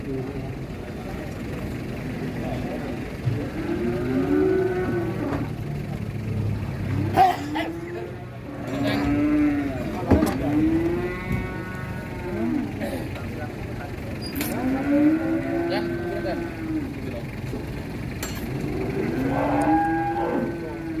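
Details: Angry cattle being unloaded from a truck, one losing a horn: a series of loud, arched moos with harmonic overtones, roughly every two to three seconds, over people talking, laughing and clanking noise.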